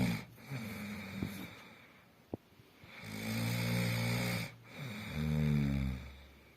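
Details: Snoring German shepherd with drawn-out, rumbling inhalations, two longer snores in the second half, a sharp click near the middle and soft breathy noise between breaths.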